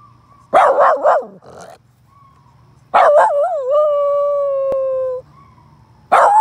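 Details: A red miniature Poodle gives a few quick yelping barks, then a long wavering howl that settles into a steady tone, howling at other dogs.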